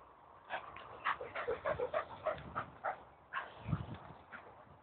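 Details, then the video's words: Staffie waiting to go for a walk, with a Doberman also vocalizing: soft, high whimpering whines in quick succession, about a dozen short notes, fairly quiet throughout. "Staffordshire Bull Terrier voice Staffie making funny noises"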